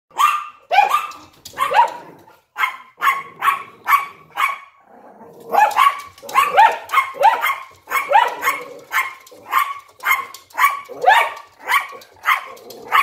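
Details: Yorkshire Terrier barking in a window alongside a Lhasa Apso, indoors; a long run of sharp, high yappy barks, mostly single, a few doubled, fired roughly twice a second with a short pause midway.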